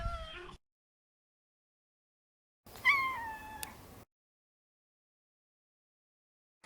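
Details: Maro, a neutered male Maine Coon, ends one mew at the start, then after a pause gives a rising-then-falling meow of over a second; a brief click near its end, otherwise silence between calls.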